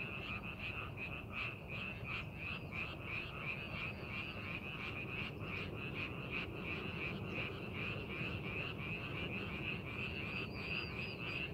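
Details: Frogs calling in a rice paddy being prepared for farming, a dense chorus of rapid pulsed croaks, about three per second, overlapping steadily, with a constant low rumble of background noise.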